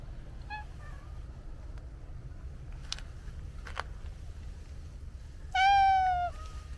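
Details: Domestic cat, from a set featuring a black cat and an orange tabby, gives a faint short mew early, then a loud drawn-out meow near the end, steady and slightly falling, over quiet low background hum with a couple of sharp taps.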